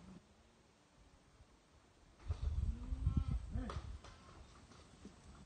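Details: Goats leaving their cage alongside sheep for fresh air; a short wavering, slightly nasal bleat rises and falls midway, set against the shuffling and clatter of hooves and a low rumbling background.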